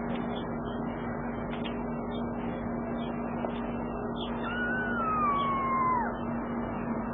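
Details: Cat during a mother cat's rescue of her kitten: one drawn-out meow that slides downward over about a second and a half, set against a steady mechanical hum and low background rumble.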